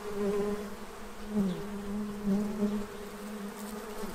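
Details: Bees crowding a feeding tray in Central Illinois ahead of winter; a strong, steady buzzing hum with several pulses as bees pass near, pitch wavering slightly, and a doubled upper tone throughout.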